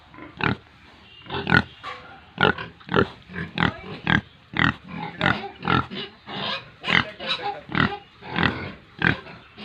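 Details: Farm pigs and piglets in Tripura, India, giving a rhythmic series of loud, rough grunts about once every half second, each a short burst.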